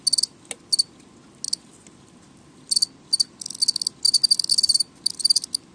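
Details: Loud house cricket chirping: a few isolated shrill pulses at first, then rapid trains of short bright chirps crowding together in the second half, steady faint hum underneath.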